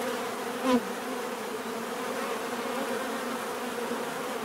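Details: Bees humming in a thick, constant drone, a single short tick or tap early on cutting briefly above the steady multi-toned buzz.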